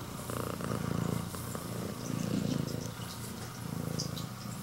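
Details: A female red tabby and white Scottish Fold (straight-eared), born August 2020, greeting her owner, purrs with a loud engine-like, low, steady rumble that swells and eases with each breath.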